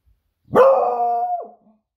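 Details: Smudge the Beagle bitch, eager for her owner's return from a surf, gives one long sustained baying howl-bark, steady in pitch then dropping sharply at the end.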